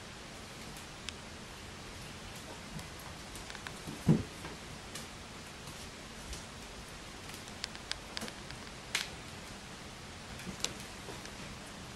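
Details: A constant hiss and rustle with scattered light clicks and one thump, and no animal voice.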